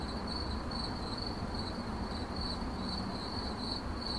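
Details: Steady cricket chirping in 8D audio: a high, thin trill broken into quick pulses, repeating without pause over a constant low hum of background noise.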